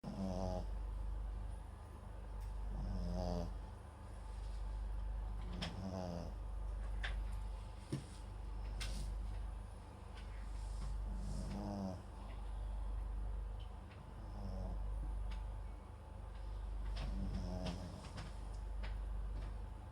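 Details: Max, a sleeping Papillon × Japanese Chin mix dog, snores indoors with a microphone placed beside him; soft, low, rasping snores recur roughly every three seconds, with occasional faint clicks and rustles between breaths.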